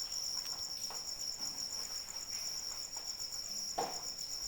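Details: Night-time crickets heard through rain: a shrill, evenly beating trill holds constant, with a few louder raindrop splashes and gentle patter underneath.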